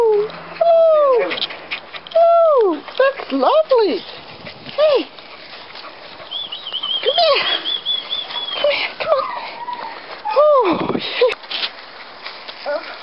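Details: Ten-week-old Scottish Terrier puppies whining and yelping in a series of arched, high, sliding cries, several in quick succession, with a long thin high whistle-like squeal in the middle; a woman's soft praising voice is heard between them.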